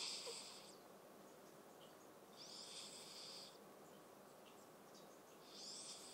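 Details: Awar, the family's eldest cat, snoring-like heavy breaths while dreaming asleep: three airy hissing breaths about every two and a half seconds, each lasting roughly a second, over low steady room noise.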